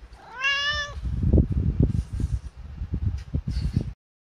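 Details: Hungry cat begging for its meal well before feeding time: one clear rising-then-falling meow, followed by low thumping and bumping noises.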